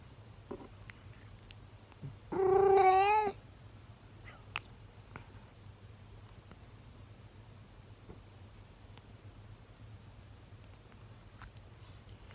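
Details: A 24-year-old calico cat indoors, curious about the camera and talking to its owner, gives one loud drawn-out wavering howl of about a second, then quiet room hum with faint ticks.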